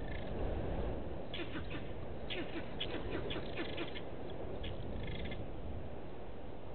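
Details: Vervet monkey alarm calling at a male leopard hidden in bushes by Gowrie dam waterhole, Djuma Game Reserve, Sabi Sand Wildtuin, South Africa, 15:12 on 27 August 2018, fixed live camera; short harsh chattering bursts in clusters over steady low rumbling noise.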